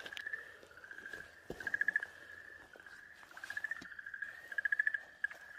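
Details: Okinawa green tree frog screaming in distress on 4 March 2023 while a Pryer's keelback snake bites and swallows it: drawn-out, nasal, pulsed wails in bursts, several rapid throbbing notes in each, with brief clicks and rustles.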